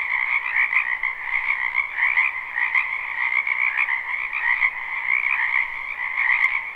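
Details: Spring wetland behind a house full of croaking frogs, live recording: a constant high trilling chorus with a lower companion layer, many callers overlapping in rapid pulses, steady throughout.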